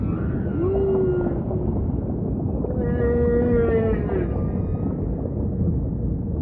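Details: Singing humpback whale giving two long, steady tonal moans, the first slightly falling, the second held level then dipping, over a dense low ocean hiss and rumble.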